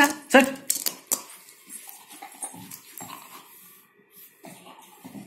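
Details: Black Labrador Retriever Nikki during play with a plastic ball, giving three quick sharp barks at the start, then quieter whining and room noise, with a person speaking Hindi in the background.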